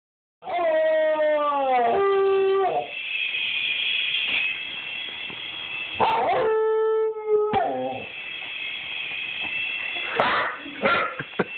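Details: Pet dog vocalising at a toy helicopter: long, sustained, howl-like wails with rich harmonics, first sliding downward, then held steady, then broken into shorter yelping bursts near the end.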